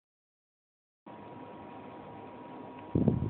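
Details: Silence for about a second, then a steady low hum with a faint electrical tone, and a louder burst of low rumbling thumps near the end; no animal voice.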